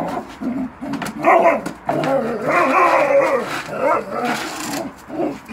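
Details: Belgian Malinois playing with a bucket; continuous high whining and grumbling vocal noises, wavering up and down, broken by short pauses, loud and close throughout.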